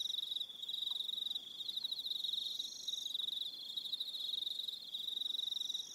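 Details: Evening crickets on Aroha Island, New Zealand: a dense high pulsed chirping that runs in bursts of a second or two with brief gaps, with fainter higher trills layered above it.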